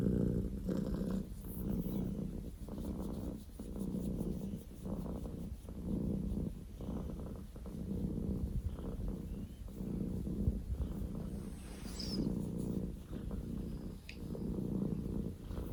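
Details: Male Scottish Fold kitten Poko J, born 15 October 2019, purring loudly indoors; a low rumbling pulsed by breaths roughly every second or so, with a faint click and light rustling near twelve seconds.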